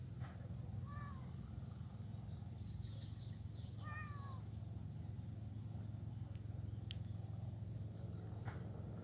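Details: Kitten that is blind, playing in grass in Kuala Kapuas, Central Kalimantan, on 27 November 2019; two short, high, slightly falling mews about three seconds apart against constant low rumble and faint scattered outdoor noises.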